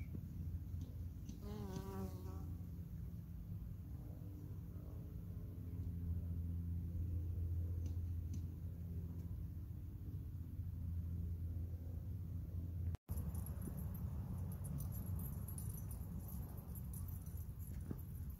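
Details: Honey bees foraging on an artichoke flower in August 2021 hum low and steady, with one louder, brighter buzz as a bee passes close.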